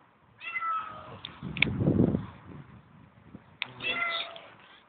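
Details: Hungry female cat at the S.P.N.I. Field Schools camp ground, coming to a tent at night, gives two drawn-out plaintive meows separated by a low rumbling handling noise, with a soft voice calling to her.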